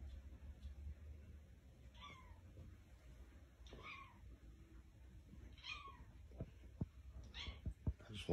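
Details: Cat that showed up at a house door, trying to get inside, gives four drawn-out meows about every two seconds, each bending upward and then falling away, over low room hum with a few sharp clicks near the end.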